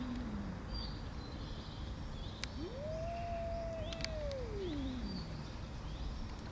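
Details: Angry tortoiseshell cat that beats the others and stops them eating lets out a long sustained meow, rising sharply, holding level for over a second, then sinking slowly, with constant low noise and faint high chirping birds behind.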